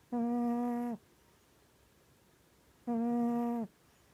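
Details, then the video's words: A sleeping, dreaming pet cat named Mya gives droning, steady-pitched snores lasting nearly a second, the pair spaced close to three seconds apart, with little else audible indoors. "Snoring and dreaming"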